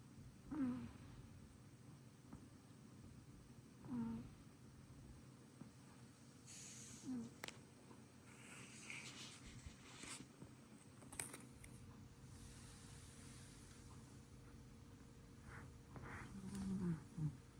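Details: A sleeping short-legged female Munchkin cat snores, each breath a low, rough rasp about every three seconds, with faint rustling and clicks in the middle.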